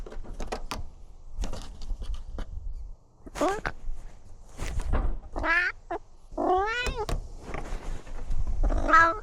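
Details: Domestic cat meowing during a tour of a newly renovated catio: several rising-falling harmonic meows in the second half, mixed with thumps, handling noise and speech.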